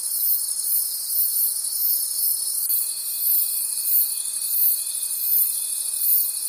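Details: Crickets at night in the forest keep up a shrill, pulsing high chorus with rhythmic swells. Partway through, a thin steady tone begins and continues to the end.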